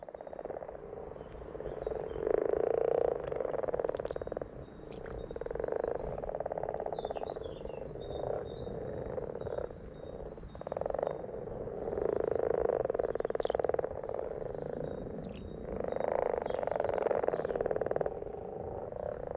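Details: Frogs in a dense chorus: continuous rapid, pulsed croaking in overlapping waves that swell and fade every few seconds, with thin higher chirping notes scattered above.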